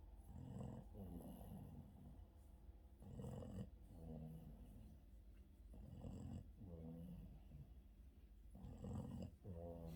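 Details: Yoda, a Boston terrier, snoring through an afternoon nap: low, rough, rattling snores, each a two-part breath lasting about a second, returning roughly every two and a half seconds in a quiet room.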